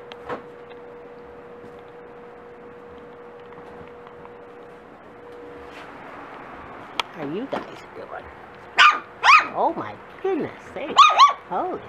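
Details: Young red dachshund puppies, six weeks old, indoors by a wood burner after a morning of play; quiet room with a steady hum, then from about seven seconds a burst of repeated high yelps, squeals and whines, several overlapping.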